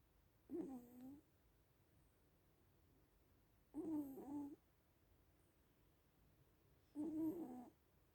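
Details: Sleeping little cats snoring: three short nasal, harmonic breaths about three seconds apart, each under a second long with a slight wavering tone, separated by quiet gaps in a still room.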